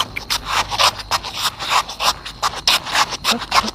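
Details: Rapid scratching and rubbing noises, with no animal voice heard.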